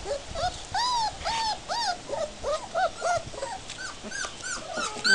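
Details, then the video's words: Puppies out in a play yard for the first time, giving many short, high whimpers and yips that rise and fall in quick overlapping bursts, several every second, with people talking faintly in the background. "Peach puppies out to play"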